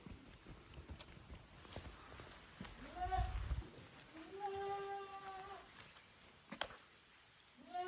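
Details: Goat kids, the offspring of Koharu and Okayu, playing in two teams in the exercise yard of a handmade goat farm in Japan on 13 June 2023. A few short wavering bleats, then two longer level ones, over low rumbling and scattered knocks.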